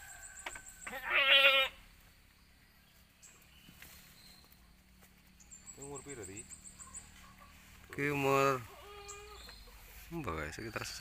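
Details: Goats on a small village farm where nine kids were born to four mothers in one week; two strong, wavering bleats about seven seconds apart, with men chatting in Javanese between them.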